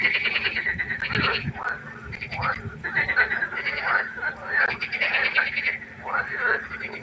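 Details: Night-time frog concert by a pond, a dense chorus of overlapping pulsed, rattling croaks that swell and fade continuously with barely any pause between callers.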